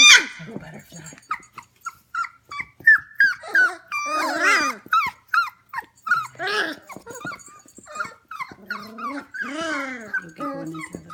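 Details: Litter of 25-day-old F1 Goldendoodle puppies at home late at night, 11 pm: a steady stream of brief, high-pitched squeals and whimpers, several overlapping, with occasional human speech and soft background noise.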